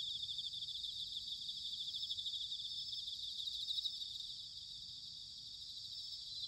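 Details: Autumn chorus of bell crickets from Sanuki in Chiba, Japan: a dense, even, high-pitched shimmer of overlapping chirping with no standout bursts, over a faint low rumble of background noise.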